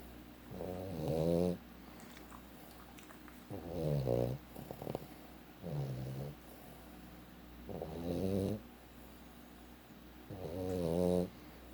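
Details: Sleeping Boston Terrier snoring; five low, rumbling snore phrases, each about a second long, coming roughly every two to three seconds with quiet breathing gaps between.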